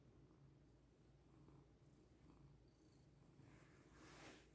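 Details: Domestic cat purring while settling onto its owner to get comfortable: a quiet, steady, low rhythmic rumble throughout, with a soft rustle near the end.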